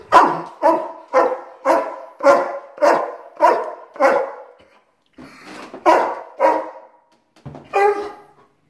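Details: German Shepherd Rocko, a household pet, barks as his owner says goodbye and leaves for work: a run of about eight rhythmic loud barks, a brief pause, then several more irregular barks and a yelp.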